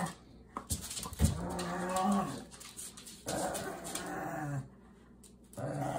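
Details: During a shoe tug of war between pugs Ernie and Milo, a low, drawn-out growl rises and falls, with a sharp thump near the start and rustling of the struggle.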